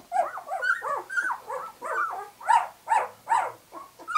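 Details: Two-week-old White English Cream Golden Retriever puppies, just opening their eyes, give a run of high whining squeals and yelps, about two per second, each note rising and falling, with overlapping cries from several pups.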